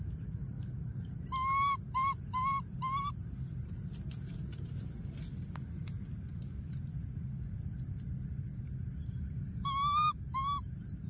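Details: Baby monkey alone in a thorny tree in the wild, calling out for his friend with bursts of four short, tonal whimpers, then a pair of similar cries near the end. Rhythmic insect pulses and low rumble run throughout.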